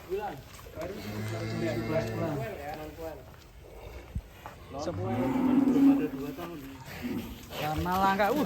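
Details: Several deep moos from rare-coloured cattle at Setia Farm in Indonesia, each rising and falling, spaced a few seconds apart, mixed with music and voices.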